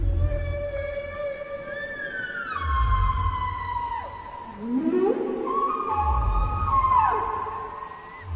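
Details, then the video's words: Whale sounds reported along the Libyan coast and blamed on migrating whales. Drawn-out harmonic moans slide downward, then rise and swoop, over a pulsing low rumble that swells roughly every three seconds. "صوت الحوت المرعب الدي ارعب اهل ليبيا terrifying sounds of the whales in Libya"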